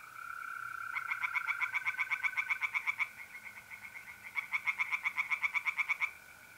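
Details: Tree frogs singing by a pond at night in mid-April in north-eastern Italy: two bursts of rapid, evenly pulsed croaks, each lasting about two seconds, over the steady, unbroken trill of mole crickets.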